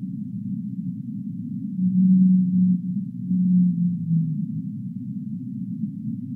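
A whale gives two long, low, tonal moans, each sliding slightly downward over a steady underwater rumble.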